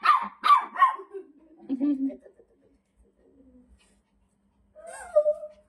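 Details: Shih Tzu at home, irritated by a whistle sound, barking in three quick sharp bursts, followed by a woman speaking Telugu in a low voice and a brief higher voice near the end.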